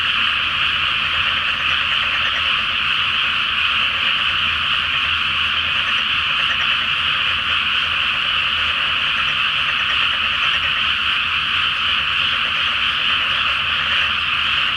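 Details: Frogs in a great night chorus from a flooded rice paddy before rice planting, under a full Flower Moon: a dense, unbroken wall of overlapping croaks and trills, steady throughout with no pauses, no other clear sounds.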